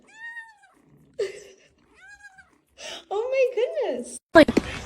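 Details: Domestic cat indoors giving two short, clear harmonic meows, each about half a second and level in pitch, followed by a person talking and laughing over further brief cat-like cries.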